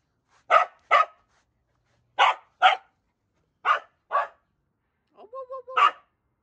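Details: A corgi playing with another dog gives sharp barks in quick pairs, with a short voiced sound near the end.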